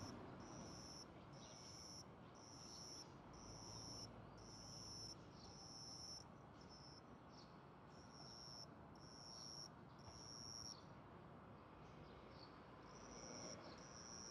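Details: Juvenile cricket brought indoors, wings open, chirping as crickets do in territorial disputes; a long series of high, even trills in regular bursts, with a pause midway before resuming, over soft low room noise.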